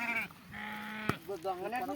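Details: Sheep during milking, bleating in short wavering harmonic calls at the start and again in the second half, with a steady hum and background chatter between.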